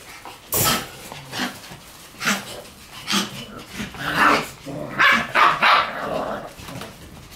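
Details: Shiba Inu puppies in a noisy puppy room, short yapping barks and growly yips repeated rapidly and unevenly, several overlapping toward the end.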